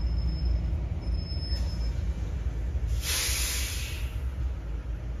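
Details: Continuous low rumble with a brief hissing burst in the middle, and no animal voice.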